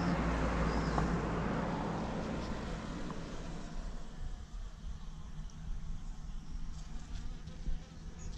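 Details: Honeybees foraging on pitaya (dragon fruit) flowers at La Saline, Réunion Island, on 6 February 2018; a steady low buzzing hum from many bees fills the recording, with faint background noise.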